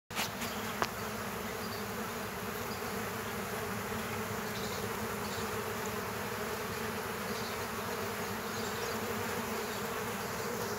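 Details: Several killer hornets fighting bees at an underground bee nest: a dense, unbroken buzzing drone with a steady low hum and a brief click near the start.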